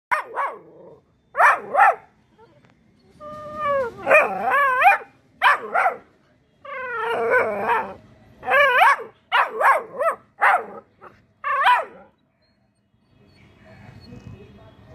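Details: A two-month-old Labrador Retriever puppy gives high, squeaky barks mixed with wavering, drawn-out yelps.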